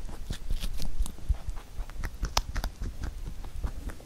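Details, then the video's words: Huchu the rabbit eats a carrot songpyeon for Chuseok. A short stretch of dull thumps and quick crunching clicks, close and indoors. "Rabbit eating sound with Carrot SongPyeon"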